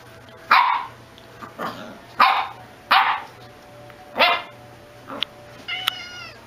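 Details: Welsh Corgi barking repeatedly, five short sharp barks spaced roughly a second apart, followed by a brief high squeaky whine-like sound at the end, with a low steady hum behind.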